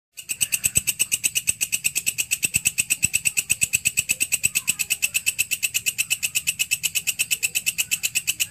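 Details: Grasshopper (walang kecek, belalang kerik) kept as a tutor sound for songbirds: a steady, fast train of dry, scratchy high-pitched pulses, nearly three per second, evenly repeated throughout with a faint low hum underneath.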